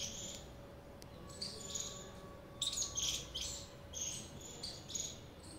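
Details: Squirrel calling with sparse high chirps, first scattered, then clustering into quicker bursts toward the end, against a quiet steady hum.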